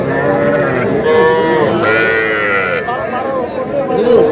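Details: Young calves, small bulls and heifers, at a cattle market where a Madaripur farmer buys stock on 18 April: drawn-out harmonic lowing rises and falls over a crowd of bargaining voices.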